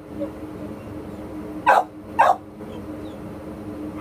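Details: American Pit Bull Terrier at an adoption shelter giving two short, sharp barks about half a second apart, over a steady low hum of background noise.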